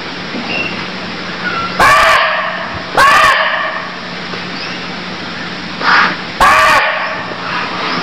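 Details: Barking deer in Cambodia giving three short, harsh, loud barks spaced irregularly over several seconds, each a sudden broadband burst, against a steady insect drone and faint high chirping birds.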